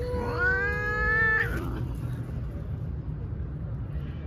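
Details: A female domestic cat gives a single drawn-out meow of about one and a half seconds. It is clear and tonal with rich harmonics, holds steady and then breaks off with a short falling tail. Quiet low background rumble follows.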